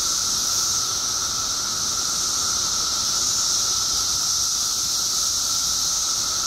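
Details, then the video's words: Mass chorus of periodical cicadas emerging by the billions in Illinois after 17 years underground, a continuous shrill hissing wall of sound layered over a steady, lower whine that never breaks. "Billions of Periodical Cicadas Emerge After 17 Years Underground Cicadas Making Noise"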